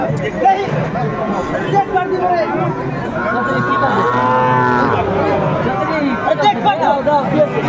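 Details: Sahiwal cattle at a busy cattle market in Noakhali, 22 February 2025, where a Sahiwal bull calf was bought: one long, steady, low moo of nearly two seconds rises through dense crowd chatter and overlapping voices.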